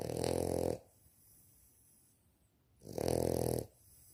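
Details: Victorian Bulldog puppy snoring again while asleep. Two loud, buzzy, rattling snores about three seconds apart, each under a second long, with near silence between them.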